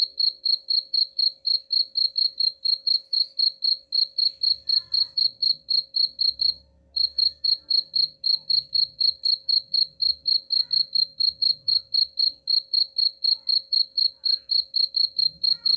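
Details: Cricket chirping, played as a rat repellent: high, even pulses about four per second, broken by one short pause near the middle, with a faint low rumble underneath.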